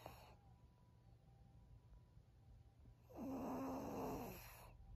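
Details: Maria, a thirteen-year-old female fawn pug kept as a senior pet in Japan, gives one long rasping snore, a rough rush of breath with a whistling tone near its start, against a low steady indoor hum.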